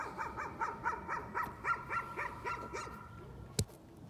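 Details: Dog in a bout of nuisance barking: a fast run of about a dozen sharp, ringing barks, roughly four per second, ending in a single loud click.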